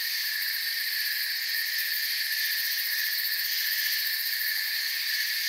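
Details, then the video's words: Short stretch of forest crickets chirping: a thick, continuous high trill in stacked layers, level and unbroken, with no other clear sounds. "Forest Sounds and Crickets"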